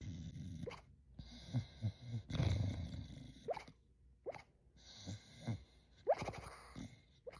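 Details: Sleeping dog snoring loudly, a snore said to sound like one seen only in cartoons; low rumbling breaths in uneven bursts with brief rising squeaky whistles on several exhales, indoors.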